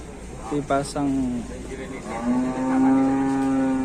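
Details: Angry cattle in Indonesia, short vocal bursts and shouting, then a long, level, low moo held for well over a second.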